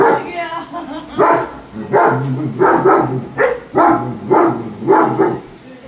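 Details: German Shepherd, a German herding breed, kept as a pet at home during rain, giving a run of short, sharp barks roughly every 0.7 seconds, with a person talking to it in Hindi between and over the barks.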